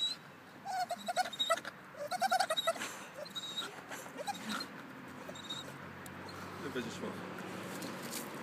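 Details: Staffordshire Bull Terrier playing and making funny noises: a run of short, squeaky whining yelps over the first three seconds, then softer grumbles and snuffles fading into steady indoor background noise.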